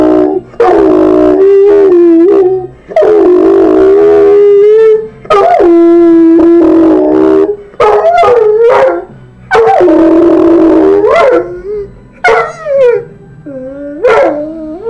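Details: Harley, a pet dog, howls along to TV jingles and theme songs: long wavering tones that slide up and down, in several drawn-out phrases separated by short breaks, with faint music underneath.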